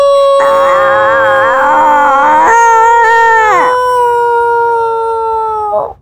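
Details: Minky, a black-and-tan long-haired Chihuahua indoors, lifts her head and answers with a sustained tonal howl when her dad calls her; a wavering rising note steadies into a long flat wail of about five seconds before cutting off.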